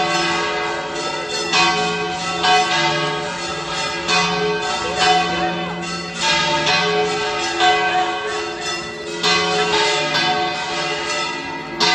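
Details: Loud church bells ring continuously in overlapping peals, with no animal sounds.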